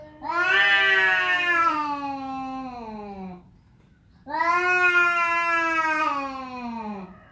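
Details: Domestic cat meowing twice, each a long, loud, tonal wail of about three seconds that sinks in pitch toward the end, separated by a short silence.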